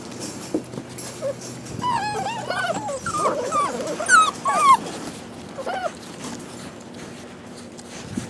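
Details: Rescue puppies of mixed breed, possibly shar pei, hound and lab, whimper and yelp in a chorus of high, wavering, downward-sliding cries, several overlapping between two and five seconds, over a low steady hum.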